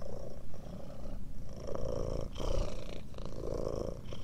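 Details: Close, low-pitched purring of a domestic cat, an even vibrating rumble broken by a couple of short pauses between breaths.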